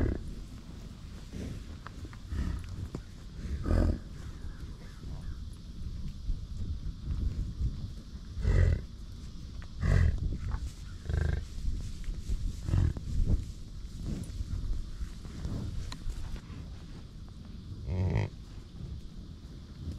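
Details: American bison (Bison bison) on a bison ranch give deep, rumbling grunts and low roars at irregular intervals.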